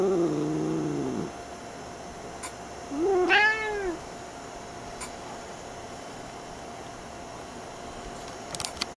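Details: Angry male domestic cat, annoyed when its tail is touched as it tries to sleep, ends a low moaning growl, then after a pause lets out one short harsh arched meow; steady hum and a few clicks remain.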